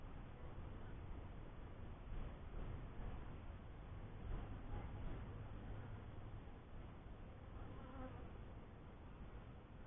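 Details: Honey bees at a newly kept first hive, a dense, steady low buzzing hum of many wings that swells slightly and holds without pause, with faint higher tonal traces near the end.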